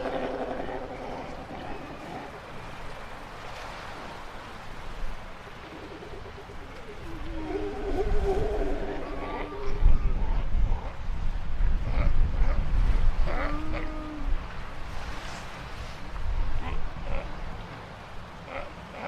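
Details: Galapagos sea lions (Zalophus wollebaeki) on a beach on San Cristobal Island give hoarse, harmonic bawling calls over a steady rumble of surf.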